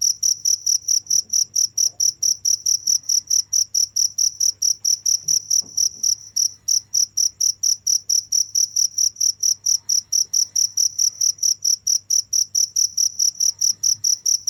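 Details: Continuous cricket song of quick high-pitched chirps, about four per second, with a momentary break near six seconds, steady low hum beneath.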